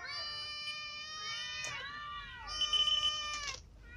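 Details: Ginger cat clawed by a new white cat, eating while lying down; one long, loud, strained meow with rich harmonics, wavering and bending down in pitch midway, then rising again before breaking off.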